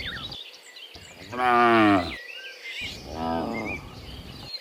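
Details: Morning moos from a herd of dozens of cows coming back from the field to their pen: two deep, wavering moos, the first louder and longer, over a steady bed of twittering birds.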